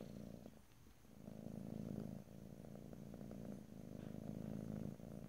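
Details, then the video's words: Low continuous purring of a domestic cat, recorded ear to ear in stereo, swelling and fading gently in rhythmic pulses without any speech. "ASMR Cat: Purring"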